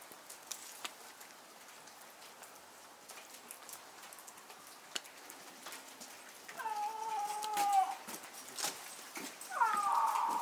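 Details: Zoo-kept snow leopard mother at Asahiyama Zoo, Japan, November 2019, calling from an overhang, apparently summoning her four-month-old cub. Two wavering, tonal, harmonic moans come about three seconds apart, the second one louder, over faint background patter.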